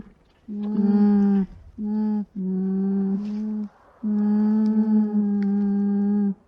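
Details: An alpaca gives a run of low, level nasal hums, two short ones, then a longer pair, ending in a sustained hum of about two and a half seconds with faint wavering, in quiet surroundings.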